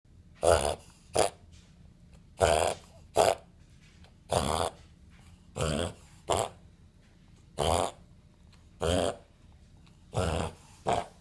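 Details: A 5-month-old male Boston Terrier has a reverse-sneezing episode, normal for the breed: harsh, honking snorts, often in pairs, every two seconds or so.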